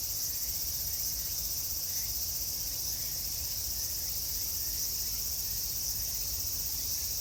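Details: Summer cicadas at Meiji Jingu shrine fill the air with a continuous shrill, buzzing hum, even in loudness from start to end, over a soft low-frequency background murmur.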